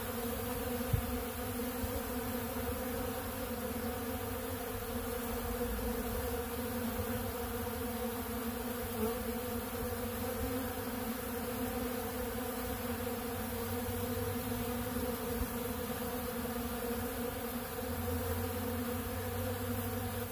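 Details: Dense, unbroken buzzing of many honeybees feeding on ultra bee pollen from a big blue pollen feeder, a low droning hum that stays level across the whole stretch, a single tap early on.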